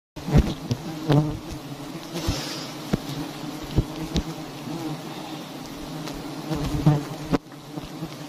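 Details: Honeybees swarming over a huge nest, one of many large hives hanging in a tree in a palm garden, make a steady low droning hum. Sharp knocks and taps break in repeatedly, with brief rustling.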